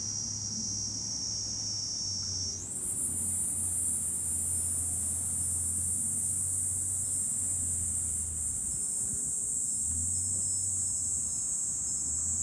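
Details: July cicada chorus from a high vantage point above Fukuoka City, Japan. A continuous piercing buzz jumps higher in pitch after a few seconds and then holds steady, with low wind and traffic rumble beneath.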